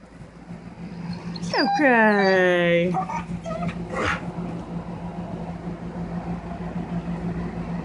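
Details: Sugar the dog, warbling with excitement: one long high whine that sweeps up then glides down and levels off, followed by a brief squeak and then quiet, with a low steady hum throughout.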